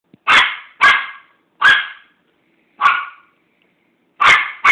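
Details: Chihuahua barking because it wants a treat: six sharp, short yapping barks at uneven intervals, with a pause of over a second before the last pair, and no other sounds.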